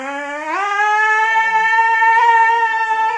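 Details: Siberian Husky indoors howling dramatically for its owner's attention: one long, clear, tonal howl that slides upward at the start, then holds a steady, slightly wavering pitch for about three seconds.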